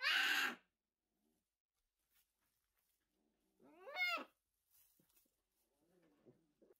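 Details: Young orphaned brown bear cubs rescued in 2023 after losing their mothers: one loud, rough bawl at the start, then quiet, and a clear wavering cry that rises and falls near four seconds, with faint soft grunts after.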